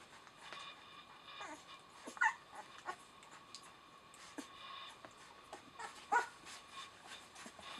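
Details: Rosalie's eleven-day-old puppies, eyes just opened, indoors: two sharp high yips, about four seconds apart, stand out above quiet rustling and light shuffling.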